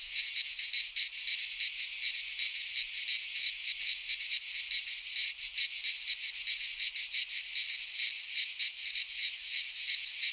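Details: Summer cicada song from a pine forest in Greece: an intense, high-pitched sizzling hum with rapid flickering pulses, continuous and loud, nothing else audible.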